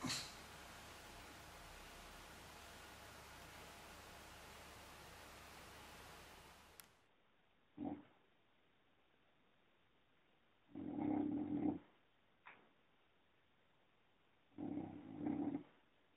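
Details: Sleeping female English Bulldog snoring: after several seconds of steady hiss, a brief snort, then two low rumbling snores about four seconds apart, each close to a second long.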